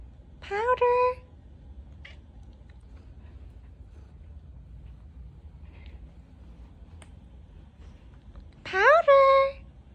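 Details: A talkative domestic cat gives two clear, rising-then-falling meows, answering when her name is called.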